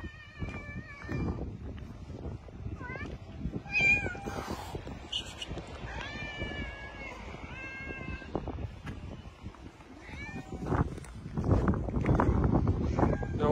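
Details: Street mother cat and kittens calling in a busy sequence of meows, short rising mews alternating with longer flat cries, several overlapping, amid rustling and scuffling noises and a person's voice in the background.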